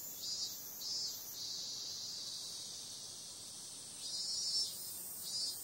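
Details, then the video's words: Cicadas at night in summer give a constant high-pitched buzzing drone, with brief louder pulses at the start and again toward the end. "Cicada sound"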